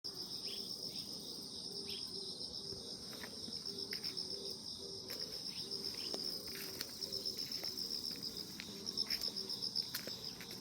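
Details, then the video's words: Grass insects on a calm, peaceful morning: a steady, shrill high-pitched trill runs without a break, while a softer low pulsing beat repeats several times a second beneath it. Faint scattered clicks are also heard. "평온함 아침 풀벌레소리"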